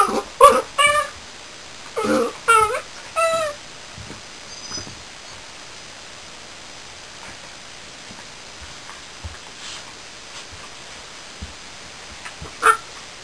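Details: New Border Collie puppy Reb giving a quick run of high whimpering yips and whines early on, then mostly quiet room tone, ending with one more short whine.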